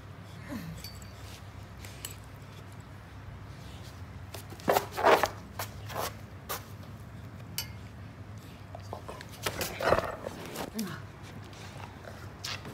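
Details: Great Pyrenees and German Shepherd puppies, littermates, play-fighting indoors in a small room; short low growls and scuffling bursts, a few sharper yelps near the middle, steady low hum beneath.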